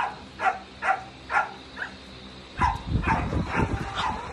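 A Basenji gives short, tonal yelping calls, repeated about twice a second.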